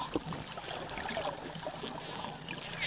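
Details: A dolphin gives high, clear whistles that dip and rise in quick U-shaped sweeps; such whistles are thought to work as labels naming things and events for other dolphins.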